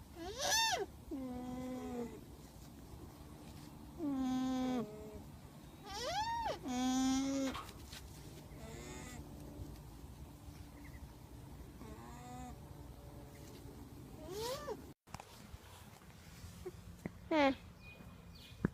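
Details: Alpaca giving several separate nasal, tonal calls. Some slide downward, others sweep up into thin high squeals, with quiet gaps between them and a low background hum.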